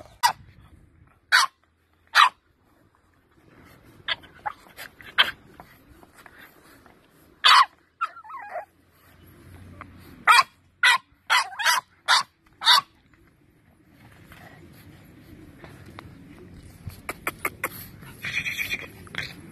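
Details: English Bulldog barking in a compilation of funny pet dogs: sharp, clipped barks in scattered bursts, some single and some in quick runs, with quiet gaps and faint background noise between them.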